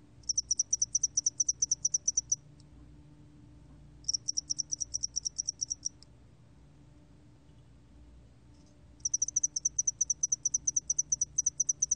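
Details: Spotted-wing hairy cricket repeating bursts of rapid, high, ticking chirps, each train lasting about two seconds, separated by short silent gaps, three bursts in total over a quiet background.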